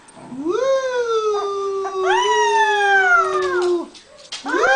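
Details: A beagle holds one sustained, rich-toned howl for over three seconds that swells up and then slowly sinks. A fresh rising howl begins right at the end.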